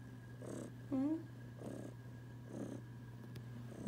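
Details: Tornado, a female pet cat indoors, purring in soft low rumbling pulses that swell about once a second with each breath, with one brief short vocal note early on, over a steady electrical hum.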